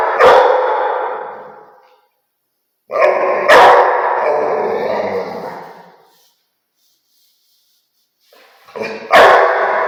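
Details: Rottweiler. A Rottweiler barks three times: loud, deep, chesty woofs separated by pauses of a few seconds. Each bark rings on with a fading, echoing tail before silence returns.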